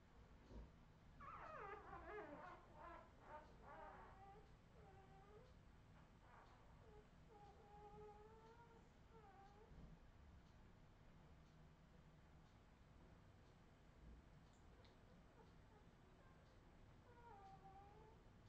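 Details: Redwing Australian Terrier puppies, 2018, whine in a quick burst of overlapping squeaky cries, then settle into slower, drawn-out wavering whimpers spaced a second or two apart, with quiet background noise.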